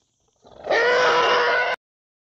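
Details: African elephant calf giving a single loud, steady, high harmonic squeal lasting about one second, rising quickly from a soft onset and cutting off abruptly, with no other sounds around it.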